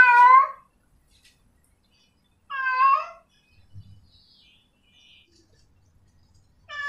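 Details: Calling to a male, a female cat in heat gives two full, bright meows roughly two and a half seconds apart, then begins a third; a soft low bump and a faint high squeak fall in the quiet gap.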